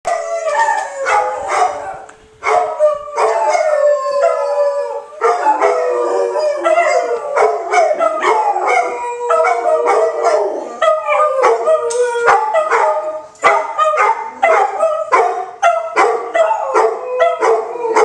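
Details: Three dogs in Oklahoma City howl together during the Saturday noon tornado siren test: overlapping wavering tonal howls, some rising and falling, with occasional sharp barks breaking in, sustained almost continuously.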